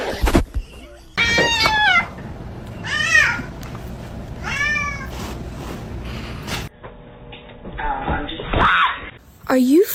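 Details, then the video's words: Domestic cat meowing in several drawn-out, arching calls with rich harmonics, spaced a second or two apart, over background music, laughter and people talking. "Funny Cat 😸 cats meowing"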